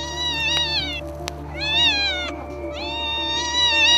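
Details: Domestic cat that meowed unusually loudly during a house fire and woke a sleeping man: three drawn-out, wavering meows, each rising then falling, with a steady musical hum underneath.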